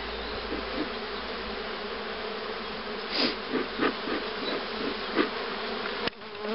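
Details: Honey bees at hives being prepared for queen rearing, including a starter hive that accepts queen cells: a steady, dense hum with a low drone band, plus short clicks and taps from hive work around the middle.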